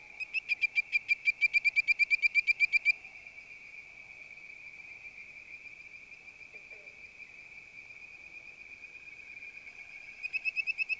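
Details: A bird-voiced treefrog (Hyla avivoca) gives a quick run of clear, mellifluous whistled notes over a steady high insect drone.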